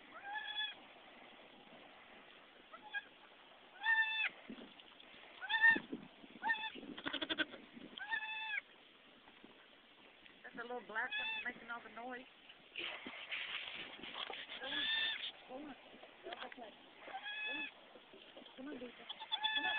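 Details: Goats during a nanny's birthing of kids, with a newborn black kid among them: short harmonic bleats repeated every few seconds, some quavering, mixed with people talking and background music.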